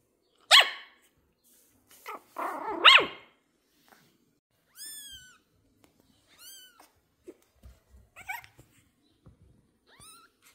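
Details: A female Pomeranian puppy gives quick, shrill yaps in excitement on meeting new kittens for the first time, then thin rising-and-falling whines, as a person speaks softly.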